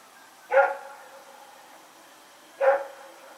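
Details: Two loud, clear barks about two seconds apart from Rex, a dog running around at night, recorded 21 September 2018; quiet hiss fills the gap between them.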